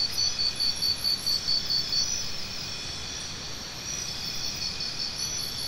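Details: A cricket gives quick, evenly spaced high chirps for about two seconds, then fades into a continuous shrill drone of other insects.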